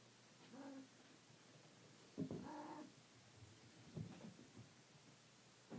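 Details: Traditional Siamese kittens explore an indoor hallway for the first time while their vigilant mother Bluebelle looks on. Several short, tonal meows come at irregular intervals of one to two seconds, with light scuffling between them.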